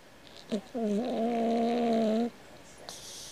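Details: Cat snoring like a man: one steady, hummed, slightly wavering drone lasting about one and a half seconds, followed by a short hiss of breath.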